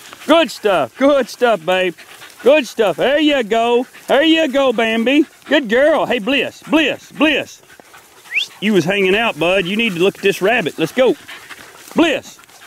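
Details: Several 4-month-old Beagle pups working in the wild, 2013, yelp and bay together in a dense overlapping chorus of short arched cries, easing into scattered calls toward the end.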